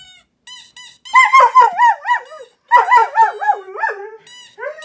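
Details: A German Shepherd, set off by a squeaky toy noise played on a phone, gives a quavering howl swinging up and down in two long bursts, with thin, high squeaky tones before and after.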